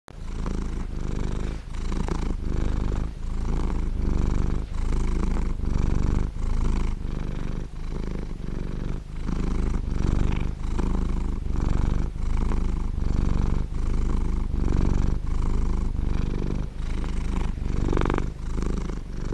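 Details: A large male blue British Shorthair cat purrs deeply and steadily, the low rumble pulsing with each breath.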